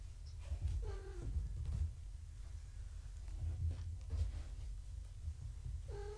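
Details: Gaia's foster kittens being weighed indoors, filmed on a live foster cam: a falling, ringing mew near the start and another at the very end, separated by soft shuffling and a heavy low hum of room noise.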